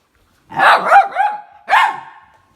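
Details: Bek, a small chocolate Labrador Retriever puppy, keeps its owner off the bed indoors, giving two high, yelping barks run together with a steady whining tone, then a single sharp bark after a short pause.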